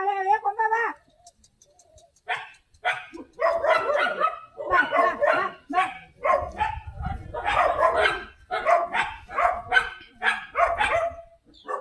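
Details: Komban, a stray street dog who came looking for the house, is fed at the door. A drawn-out harmonic whine opens, then a run of short, sharp, uneven barks follows. Tamil speech sounds in between.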